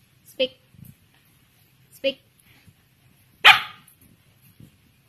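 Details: Nine-week-old female Samoyed puppy in Bandung, Indonesia, answering the training command "speak" with three short barks, the final one louder and longer, amid quiet taps and room noise.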